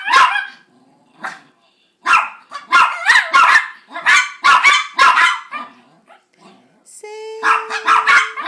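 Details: Pair of Chihuahuas singing for a treat, which is really begging: bursts of quick, high yapping barks in clusters with brief pauses, then a steady sustained tone joined by more rapid yips near the end.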